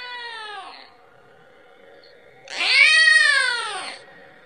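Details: Kitten calling its mother for milk; a fading meow tail opens, then after a pause comes one loud, strained meow of about one and a half seconds, rising then falling in pitch.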